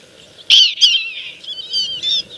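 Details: Prairie dog pups learning the jump-yip call in Golden, Colorado, a call said to mean all is clear: a sharp burst of high yips followed by a run of quicker, thinner squeaky notes, about two seconds in all.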